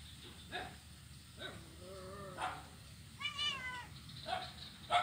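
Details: Kitten, blind, at play on an ironwood plank bridge in Kuala Kapuas, Central Kalimantan, 25 November 2019; a low drawn-out descending meow followed by a higher, shorter mew, with soft knocks and taps around them.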